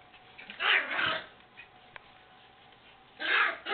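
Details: White Miniature Schnauzer puppies born December 21, 2012, playing with other puppies, let out two brief bursts of harsh, breathy yips and growls about two seconds apart, over a faint hum and a soft click.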